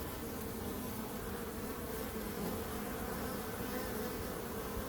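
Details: Dense, even buzzing of bees, a low continuous hum with a brighter overtone band, uniform in loudness for the whole five seconds.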